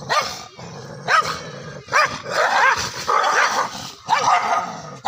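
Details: Two angry Indian pariah dogs in a fight: short harsh barks and long snarling, roaring bursts, repeated irregularly with brief pauses.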